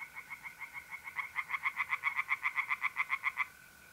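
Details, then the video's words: A pond tree frog calling at night in mid April, north-east Italy, gives a quick series of about twenty evenly spaced pulsed croaks that grow louder and then stop abruptly. A steady mole cricket trill runs behind. "relaxing singing tree frogs in pond"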